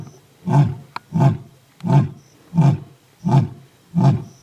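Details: Old and young lions roar: a series of deep, grunting roars, each short and evenly spaced.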